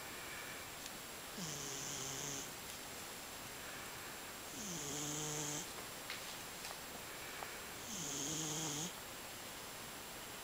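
A Scottish Fold cat snores in slow, regular breaths, each a low rattling rasp about every three seconds.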